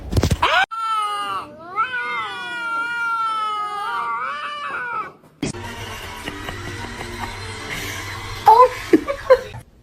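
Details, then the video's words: Domestic cat giving a long, drawn-out wavering yowl lasting about four seconds, rising and falling in pitch, then breaking off; noisy household sounds and a few sharp squeaks follow. "funny cats talking"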